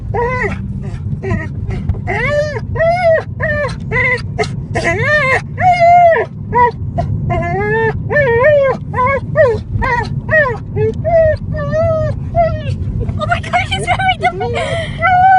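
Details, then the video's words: Dog 'crying' in a car, a weird sound: rapid, yelping whimpers that swoop up and down, packed close together, over constant low road and engine noise, with a few faint voices toward the end. "Dog 'crying' in car!!!!! Weird sound!!"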